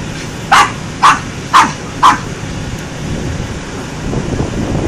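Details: A dog gives four sharp barks in quick, even succession about half a second apart, then falls silent over a soft background rumble.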